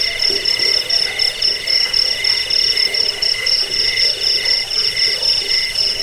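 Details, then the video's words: Jangkrik crickets, used as a rat-repelling, sleep-inducing track and as tutor sound for cage birds, chirp in layered high trills; the sharpest upper tone pulses rapidly and evenly while lower buzzing bands run continuously beneath. "suara jangkik pengusir tikus pengantar tidur"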